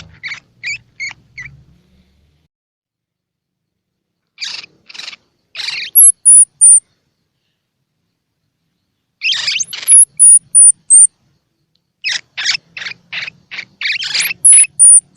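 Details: Baby squirrel calls, used to prompt baby squirrels to eat: separate bursts of quick, rough squeaks divided by silent gaps of several seconds, each burst ending in thin, very high falling whistles.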